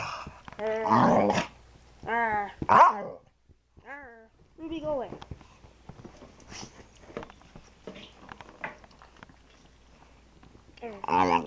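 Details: Playful female Staffordshire Bull Terrier indoors giving strange noises: wavering harmonic yowls and grumbling whines in short bursts, some rising and falling, mixed with a person talking and soft thumps in a small room.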